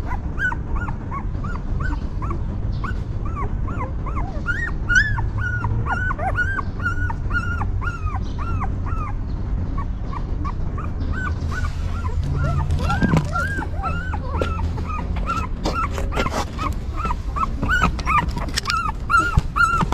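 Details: Newborn pups with their stray mother dog keep up a steady stream of short, arched whimpers, joined later by clicking and rustling noises as the caring continues.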